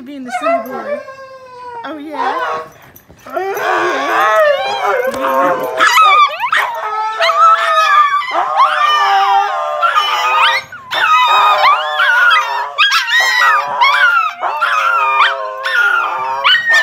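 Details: Siberian huskies playing at home howl in long, wavering, harmonic woo-woo tones that rise and fall, with short gaps between bursts, while a woman's voice talks over them.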